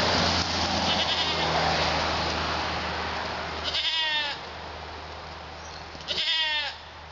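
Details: Young male pygmy goat kids born February 27, partly weaned and still bottle fed, outside London, Arkansas; two quavering, harmonic bleats about two seconds apart over steady hiss and a low hum.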